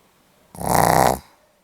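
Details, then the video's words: Pomeranian dog asleep, recorded 8 November 2015, giving a single rattling snore of about two-thirds of a second, a fast fluttering rasp that swells and cuts off, in an otherwise quiet room. "ポメラニアン 犬のいびき"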